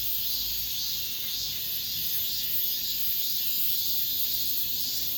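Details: End-of-summer cicadas singing among apartment buildings: a high, sizzling drone with rhythmic pulsing throbs about twice a second, steady in loudness throughout.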